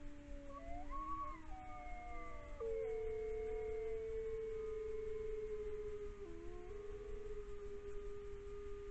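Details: Iberian wolves at an Iberian wolf sanctuary in Galicia howl in long, sustained tones, several voices overlapping and shifting pitch; howling keeps pack members together.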